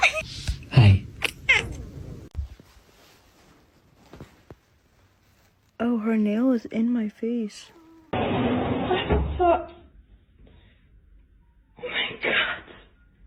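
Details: Kitten meowing: a run of four or five short, arched, tonal meows in quick succession, followed by a harsher noisy burst and another brief call, with clicks and voices at the start.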